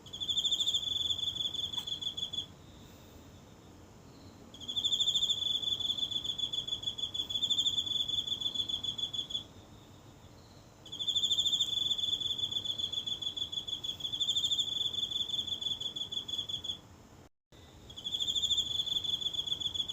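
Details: A single insect singing each night from the grass of a small home garden, recorded up close on a phone in the quiet of night: high, pulsed trills around one pitch, sung in bursts of a few seconds separated by short pauses.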